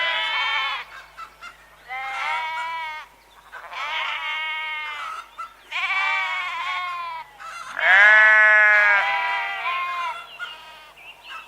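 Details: Sheep bleating repeatedly, giving four or five quavering baas of varying length, the loudest and lowest near the end, separated by brief silences.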